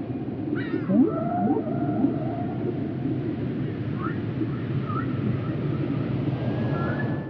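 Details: Underwater whale vocalizations: a bright descending cluster of squeals, then a run of quick rising chirps and drawn-out tonal moans that slide and hold, all over a continuous low ocean rumble.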